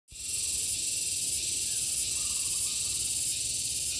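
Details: Gareng pung cicada giving a loud, continuous high-pitched shrill buzz that starts abruptly and holds steady throughout, with a faint rhythmic pulsing in its texture and no other clear sounds.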